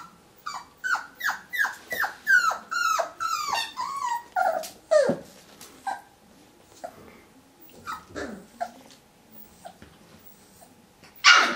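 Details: Whippet vocalizing at its mirror reflection: a quick run of falling, tonal yelp-whines for about five seconds, then sparse, softer whimpers and huffs with long pauses, ending in one sudden harsh burst.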